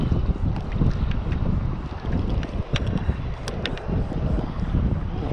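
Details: Strong wind buffeting the microphone over water, with a steady low roar and a few faint clicks, and no animal sound heard.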